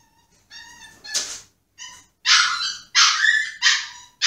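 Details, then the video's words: A Pomsky placed in his cage throws a tantrum, whining in high, nasal cries and then breaking into harsher yelping howls while pawing at the cage to get out. "Sad Pomsky whining - Make your dog go crazy or howl"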